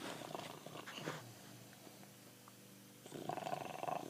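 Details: Pancho the bulldog snoring with his tongue hanging out; a coarse, rapidly pulsing rattle of breath, fading, then a louder rasping snore returning after a short pause.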